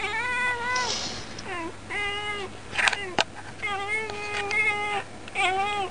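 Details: Domestic cat talking at the window as usual, captioned "it's cold, isn't it"; a run of about six bright harmonic meows, some long and level and some short and bent, plus a couple of sharp clicks and a constant low hum.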